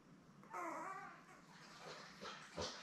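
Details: Seven newborn Labrador Retriever puppies, born May 24, 2021, with their mother Belle on an indoor live puppy cam. One brief, tonal, wavering whine with layered harmonics is followed by softer rustling and shuffling in a small room.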